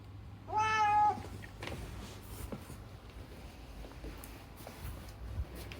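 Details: Indoors, the rescued cat Unagi utters one clear, steady meow lasting about half a second, followed by a hushed room with faint taps.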